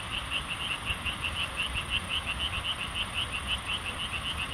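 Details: A frog calling, remembered from childhood: short bright notes repeated steadily about twice a second, with a constant thin high whine and soft low rumble in the background.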